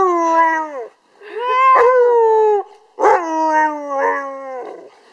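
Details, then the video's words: Siberian Husky 'singing' in three strong howls, each a clear, tonal wail with many overtones that bends and falls in pitch, the last trailing off into a lower, drawn-out note. "ХАСКИ ПОЁТ"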